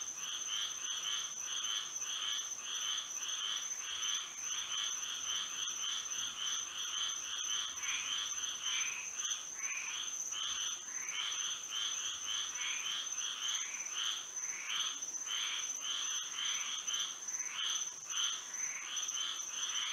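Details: Many frogs singing through a moonlit Florida night, a continuous overlapping chorus of quick rattling croaks that thickens and loosens in waves, backed by an unbroken high steady hum.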